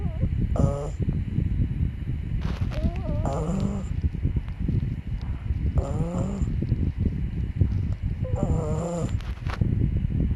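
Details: Snoring puppy Byeol: a rough low drone throughout, with squeaky, quavering whistles on the breaths repeating about every two and a half seconds, four rounds in all.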